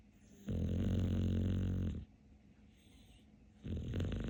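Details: Capler, a pet dog called the king of snoring, sleeping: a deep, rumbling snore with a buzzy low drone lasting about a second and a half, a quiet pause, then the next snore starting.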